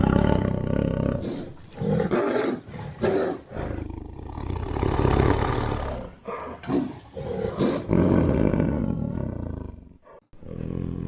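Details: Tiger making a choppy series of short, throaty roars and growls, irregularly spaced, building to louder rough bursts before a brief quiet spell and one final growl.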